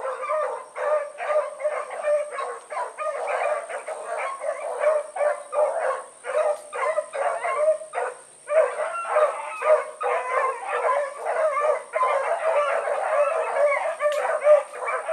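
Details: Several dogs of the Blackreek pack (Choco, Dino, Johnny Ringo, Mingo) in full cry on an evening run, 16 August 2014: a dense, continuous chorus of overlapping barks and bays with barely a pause, over a constant high-pitched hum.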